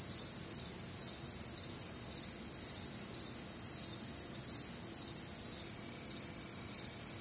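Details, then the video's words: Shrill, rapidly pulsing chorus of crickets on a warm, humid Midwestern summer night, many trills overlapping into a dense high shimmer that swells and eases slightly, with faint low background noise. "Night Time Cricket Sounds"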